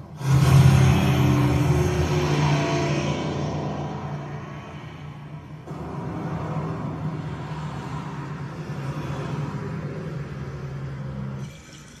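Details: Dark, droning soundtrack music with a deep sustained low tone and a whooshing swell, fading near the end, with no animal voice.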